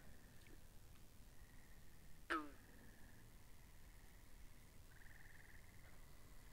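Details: Binaural pond recording of frogs: steady high, buzzy pulsed trills running in overlapping bouts, broken by one loud abrupt call that sweeps downward, all above a low rumbling ambient background.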